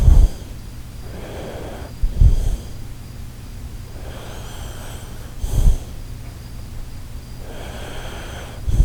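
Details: Sleeping Shiba Inu Koharu snoring at night, with soft, noisy breathy snorts recurring roughly every three seconds over a low steady hum, and quiet rasping between breaths.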